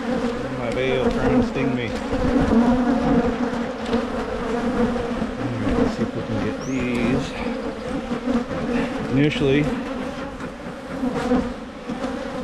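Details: Michigan honey bee hives during splitting to prevent swarming: loud, continuous buzzing drone of many bees, with short snatches of human voice and occasional clicks over the hum.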